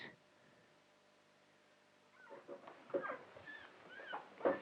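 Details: A newborn, blind and deaf puppy that has got lost from its mother and may be hungry cries in thin, high, squeaky whimpers.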